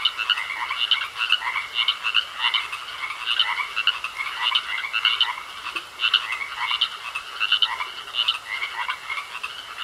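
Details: A dense chorus of frogs croaking in a pond, with overlapping rapid, rattling pulses repeating steadily.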